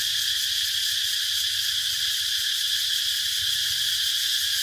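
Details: Cicada chorus as a constant high-pitched whirring buzz, level and unbroken, over a faint low background murmur.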